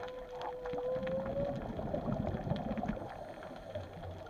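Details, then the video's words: At Chileno Bay, a whale gives a drawn-out, slowly rising tonal moan underwater over a rumbling background wash. "WHALE SOUNDS AT CHILENO 128"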